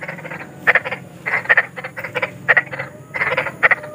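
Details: Big frogs calling outdoors, offered as night sleep therapy for children who struggle to sleep; short clustered croaks in bursts about every second, each a quick rattle of pulses, over a low steady hum.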